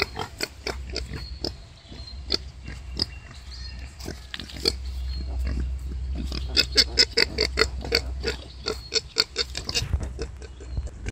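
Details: Wild boar birthing five piglets: sharp separated grunts and clicks at first, then a busier stretch of overlapping squeals and grunts about two per second, over a low rumbling background.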